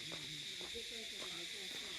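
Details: Crickets calling in a dense pine forest near Kurseong, Darjeeling, in June: a continuous shrill high hiss-like drone filling the air, while a person speaks over it.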